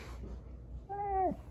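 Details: Siberian Husky puppy indoors, playing roughly with another husky puppy, Juno and Echo, gives one drawn-out whining yowl, held level then dipping sharply at the end, about half a second long, in a quiet room after a person's soft words.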